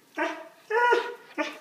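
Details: A nearly two-year-old male Alaskan Malamute, indoors, 'talks' to his owner in three rich, moaning groans that bend in pitch like woo-woo speech while being asked if he wants a treat.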